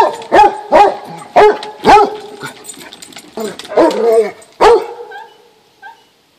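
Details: Basset Hounds playing on a deck, one of them 19 weeks old: a run of short, loud, tonal barks and yips, several in quick succession, with a few brief voices between them.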